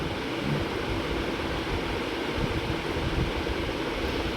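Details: Dense rumbling wind or engine-like noise buffets the microphone throughout, with no animal sound present.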